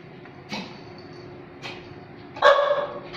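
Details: Dog barking: three short, sharp barks roughly a second apart, the first two soft and breathy, the third loudest with a tonal, ringing quality and a brief trailing yip, over a steady low background hum.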